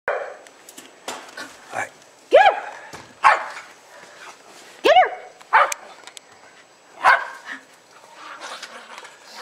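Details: Two Jack Russell Terriers, Jasper and Jaclyn, about two years old, excitedly playing and chasing in snow in Lenexa on 26 December 2009; sharp rising yips and short barks come in scattered bursts, with human voices in between.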